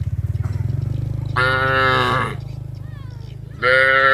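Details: Cattle moving together to the village rice fields, calling one another: two strong, sustained moos separated by a pause, over a continuous low pulsing drone.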